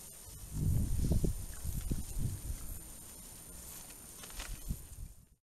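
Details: Several wild boar (Sus scrofa), a herd at a feeder in the evening, give low, rough grunts in short irregular bursts while eating, close together.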